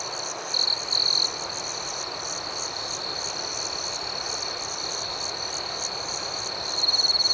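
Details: Crickets chirping at night: a constant shrill ringing with fast pulsing overhead, punctuated by short loud trills at the start and again near the end.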